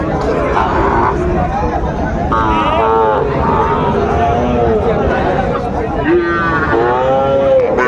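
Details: Young Sahiwal bull calves, about six to seven months old, at Aftabganj market in Dinajpur, Bangladesh: repeated short wavering moos from several animals over constant buyer and seller chatter and crowd noise.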